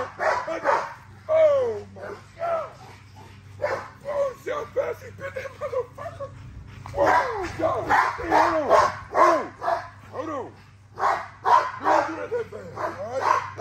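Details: Exercising female XL American Bully: long series of uneven barks and arching yelps, fast and excited, with brief quieter gaps and a low background hum.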